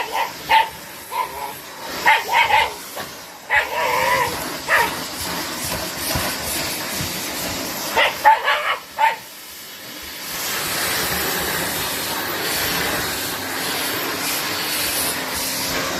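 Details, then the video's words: Facing off against a vacuum cleaner, a white Shiba Inu gives scattered, clipped barks over the first nine seconds before the machine's loud, steady roaring hiss takes over and drowns everything out. "柴犬 vs 掃除機"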